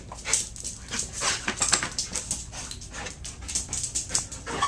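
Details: Terrier and Pit Bull mix dog at an adoption shelter, described as calm but scared and very stressed: rapid, breathy panting, a steady run of hissing in-and-out breaths about three per second.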